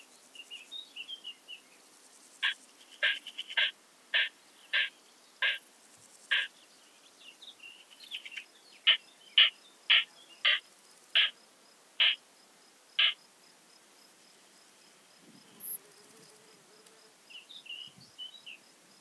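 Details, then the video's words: More-modest plump bush-cricket (Isophya modestior) at Eichkogel, Austria, 18 June 2022, picked up with an ultrasound detector: a steady run of short, evenly spaced clicking pulses, about two to three per second, with faint bird chirps before and after. "Isophya modestior -- Große Plumpschrecke -- More-modest Plump Bush-cricket"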